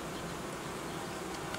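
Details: Honey bee colony being reorganised by a beekeeper after producing royal jelly and raising queen cells, temperatures having dropped sharply; a steady dense low hum of many bees fills the clip, with faint brief clicks near the end.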